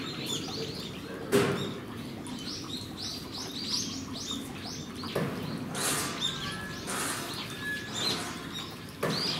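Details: Chorus of high, rising-falling squeaks from captive Geoffroy's spider monkeys at Japan Monkey Centre, Aichi, Japan, 13 December 2018, interrupted by several sharp knocks or bangs.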